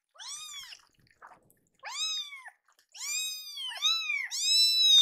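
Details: Hungry foster kittens, two rescued babies kept indoors, protesting a delayed feeding: loud arched meows, the last ones long and drawn out, overlapping, with a faint soft sound between calls.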